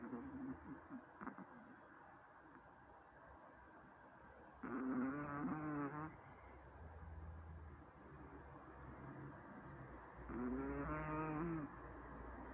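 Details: A Chihuahua named Zaika, asleep and snoring: two drawn-out, buzzy, throaty snores with a vibrating harmonic rasp, about six seconds apart, separated by quieter breathing and a soft low background hum.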